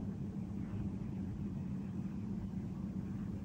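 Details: Low, continuous rumbling like distant traffic or an engine, with no animal calls.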